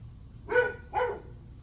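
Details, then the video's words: Two loud, harsh barks about half a second apart from a dog recorded at 8:38 am on July 9, with a soft low hum behind. "Barking dog"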